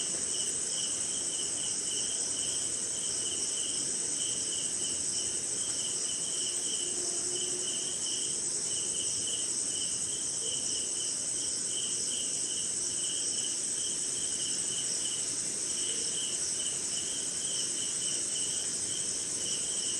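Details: Night insect chorus of crickets recorded in rain in India, a constant shrill high-pitched hiss beneath rhythmic pulsed chirping that repeats in bursts throughout, with faint low murmur underneath.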